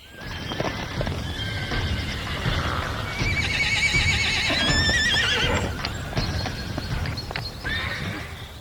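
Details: Wounded plains zebra in the Serengeti that kept running after a lion attack; loud wavering, harmonic braying calls in the middle, with thudding, scuffling sounds and soft music throughout.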